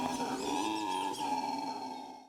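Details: A black-and-gold howler monkey at a zoo, in a family of a 19-year-old male and two daughters, gives a deep, growling, sustained howl. This call, usually made around 4 a.m. before dawn, tells nearby groups where it is.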